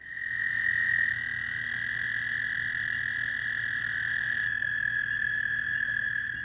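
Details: An American toad in the southeastern US gives a long, steady musical trill, lower-pitched and longer than a Fowler's toad's, holding one pitch without pause.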